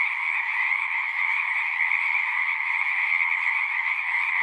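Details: Continuous chorus of many singing frogs in nature. Dense, overlapping croaks blend into an even, droning trill, with a sharp upper band and a fuller middle band, and no pauses or other distinct noises.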